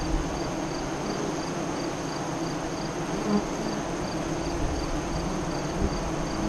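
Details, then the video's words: Honey bee colony at its entrance east of Lyons, Nebraska, during the 2017 eclipse: a dense, even buzzing hum with brief louder passes, and a steady high, regularly pulsing insect call behind it. "Honey Bee Hive Eclipse 2017"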